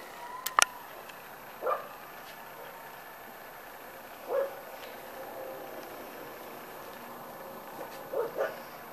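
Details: A litter of 6-week-old Corgi puppies: brief, thin yelps come singly, spaced a few seconds apart, with a double yip near the end and a clatter at the start over a low background hum.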